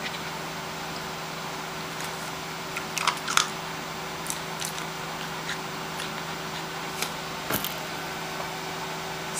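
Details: Steady indoor hum with a low electrical drone, broken by a few sharp clicks and light knocks.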